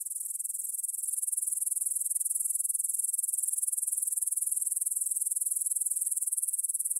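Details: Grasshoppers stridulating in a meadow near the Svensky monastery in Bryansk, Russia, at 9 pm on 6 September 2020, recorded in stereo on a Tascam DR-44WL: a very high, even, rapidly pulsing chirr, steady and unbroken, with nothing else heard.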